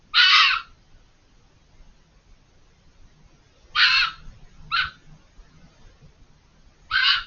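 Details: Hidden behind a hedge, a fox gives harsh screams over a long vocal spell; four raspy, strained bursts, the first and second seconds apart, then a short one and a final scream, with near silence between.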